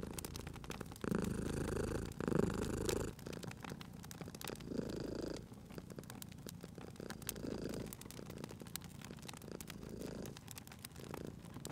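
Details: Cat asleep near a crackling fire, purring loudly at first in rumbling bursts, then softer in later cycles, with dense fire crackling and sharp snaps throughout.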